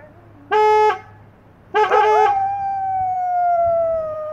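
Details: English Setters singing together: two short, steady harmonic blasts, the second breaking into a rising chorus, then one long clear howl that drifts gently downward and holds to the end.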